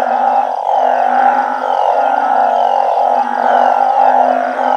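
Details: Night chorus from a backyard colony of banded bullfrogs and balloon frogs in Thailand. A constant layered drone of many callers, with low pulsing notes beneath a brighter humming band.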